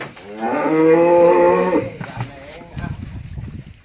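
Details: Aggressive jumbo sacrificial bull being led over an extreme, slippery path gives one loud, steady, sustained moo lasting about a second and a half, followed by rustling, footsteps and quiet voices.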